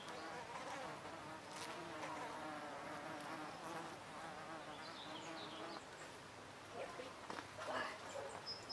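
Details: Dense, continuous buzzing of hornets around oak trees where they drink sap, a rich harmonic drone filling the whole recording, with a few faint high chirps near the end.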